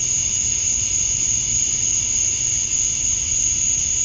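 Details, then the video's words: Male cicadas chirping to attract females on a summer night at dusk in Georgia, USA, outdoors: a steady, unbroken high-pitched shrill drone with a fainter lower hum beneath, constant in loudness throughout. "Cicadas at Dusk, Summer Night"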